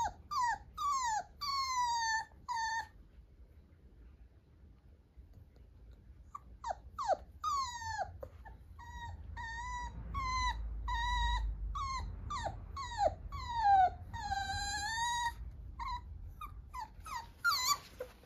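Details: Young Italian Greyhound puppy gives strings of high whining whimpers, some rising then falling, pausing for a few seconds before a long fast run of whines, above a constant low hum.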